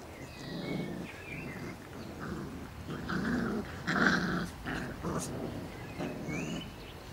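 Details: Four-week-old Irish Setter puppies, a litter, vocalizing together: soft overlapping whines and low grumbling yelps in irregular bursts, with a few higher squeaky cries near the middle and end.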